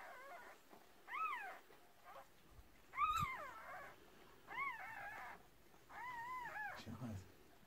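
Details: Newborn Cardigan Welsh Corgi puppies, from a first litter of six born to a red merle mother in 2018, give high, arching squeals that rise and fall. About five separate cries come at uneven gaps, and there is faint indoor background.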